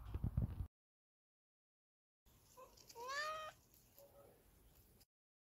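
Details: Sad house cat, missing another cat and unwilling to play, indoors, giving one drawn-out meow that rises then slides down, followed by a faint, short second call, with quiet room noise.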